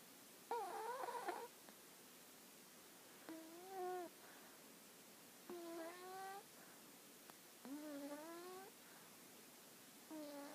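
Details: Hana, a dog, asleep and snoring: five tonal, whistling snores rich in harmonics, each about a second long and slightly rising, coming roughly every two seconds against a quiet background hiss.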